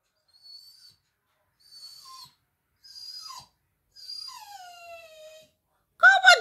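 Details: Labrador Retriever vocalising while a woman talks with it: a series of high, thin whines sliding downward, the longest one falling steadily, separated by short pauses, then a single sharp bark at the end.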